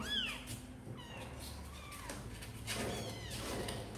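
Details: A few thin rising-and-falling kitten mews from Sor and Kapov's litter, kittens apparently wanting to come out and play, with a low background hum.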